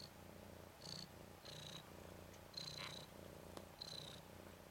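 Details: Nikita, a 10-day-old red/cream colourpoint Ragdoll tomcat kitten, one of Zaphirra's three boys, rolling on his back. A low rumbling purr runs throughout, broken by four brief high squeaky notes.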